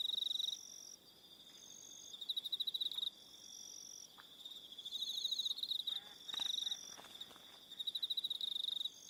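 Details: Aroha Island, New Zealand, in the evening: crickets give high pulsed trills that start and stop in bursts, with a quieter lull early on and overlapping higher callers.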